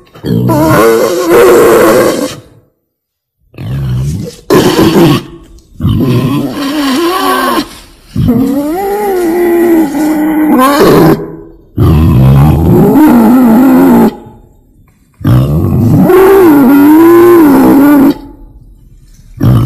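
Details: A female wild boar calls in harsh, noisy bursts. Wavering squeals and rasping grunts come in blocks of one to three seconds, separated by brief gaps.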